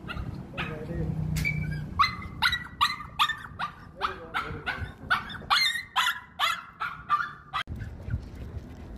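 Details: Owol, a pet dog, is excited and impatient while waiting to go meet dog friends. It gives a rapid run of about a dozen high, whining yelps and barks, some rising or falling, with low rumbling background noise.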